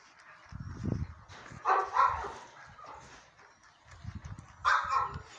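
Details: Cakes, a sable German Shepherd, gives two short rough barks, the second near the end, with dull low thumps and handling noise between them.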